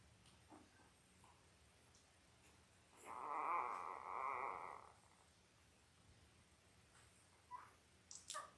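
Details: Newborn Labrador Retriever pups, five days old, from Belle's litter of five males and three females, filmed indoors; one sustained, steady whine lasting about two seconds, with faint short squeaks and a click afterwards.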